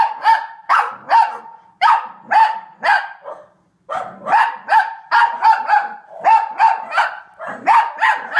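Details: A Cavalier King Charles Spaniel barking at dogs on the TV gives a steady run of sharp, mid-pitched barks, about two each second.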